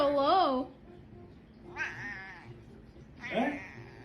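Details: Cat in a funny pet compilation giving three loud, low, drawn-out meows with wavering pitch, each about half a second, spaced a second apart; little other sound.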